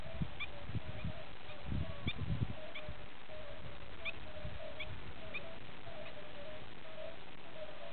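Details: Chorus of red-bellied toads, Bombina bombina, giving soft low hooting notes in an even, steady series, several callers overlapping, over a rumbling background with faint high clicks and a few low thuds near the start.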